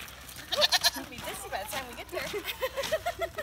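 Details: Two pygmy goats moving into a newly built summer goat yard with a shed; a quick series of short, wavering bleats, several stacked nasal cries early, then a run of rapid, quavering calls.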